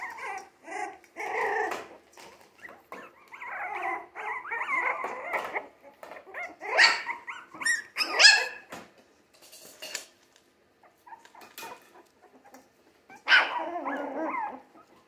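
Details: Three-week-old Jack Russell Terrier mix puppies from a litter born 17 December 2020, active and eating like older pups, break into bursts of high squeals, harsh rasping yelps and short whines separated by brief pauses.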